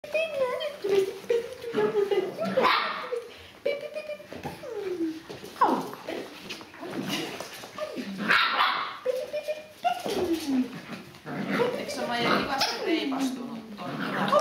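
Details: Australian Kelpie puppies giving high, falling whines and short yips, several overlapping and repeated throughout, with people talking nearby.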